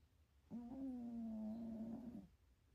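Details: Sleeping cat at home giving one drawn-out snore, a steady humming tone under two seconds long that rises slightly at the end, in a quiet indoor setting.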